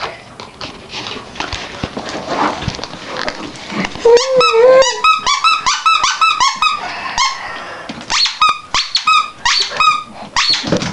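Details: Chihuahua puppies, full-blood litter, playing indoors with children: rapid high squeaky yips and whines, several per second with rising and falling pitch, over rustling and handling noises in a small room.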